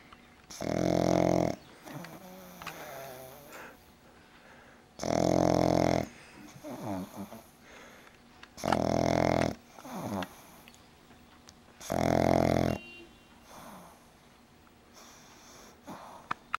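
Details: Loud snoring from a sleeping pug: four harsh, buzzing inhalation snores, each close to a second long, come about every three and a half seconds. Softer whistling, wheezy exhalations fill the gaps between them.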